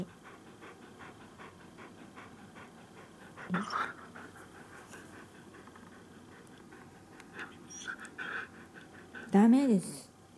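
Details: Siberian Huskies Rai, a chocolate-and-white male born 2010 in Saitama with allergic dermatitis on his muzzle, and Nagi, a red-and-white female born 2013 in Shiga. Steady soft panting, then a brief wavering whine near the end, with faint speech.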